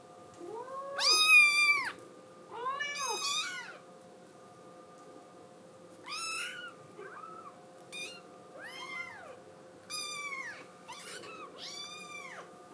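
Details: A female blue tabby Scottish Fold kitten cries with high, arching meows, desperate to be let outside.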